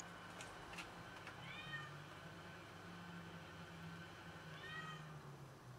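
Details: Domestic cat that has caught a rat and brought it to brag about it, giving two short arched meows, one near the start and one near the end, over a steady low hum.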